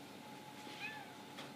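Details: Pet cat Lily, waiting for her dinner and seeming to reply yes when asked, utters one brief, quiet rising meow against a constant low indoor hum.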